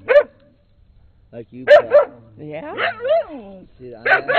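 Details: Pet dogs from later 2006, Rusty a brown skinny mutt barking up a storm and Peekero a red Husky from Japan; short harmonic bark bursts with a drawn-out wavering yowl between them, people talking over the dogs.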